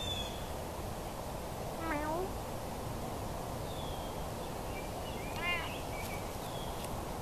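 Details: Domestic cat uttering two brief, separated meows, the first near the start and the second a few seconds later, both thin and short against constant background hiss.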